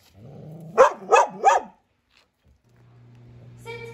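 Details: Tilda, a Belgian Malinois in training in Boise, Idaho, fearful and reactive toward unfamiliar people and dogs, gives three sharp barks in quick succession over a soft music bed. A sustained musical tone follows after a short pause.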